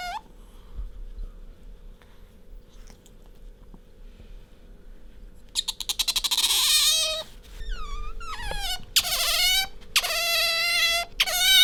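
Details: Bingo, a pet otter, nuzzling its owner and calling: quiet room for several seconds, then a fast pulsed burst followed by bent, rising-and-falling high squeaks and long sustained squeals.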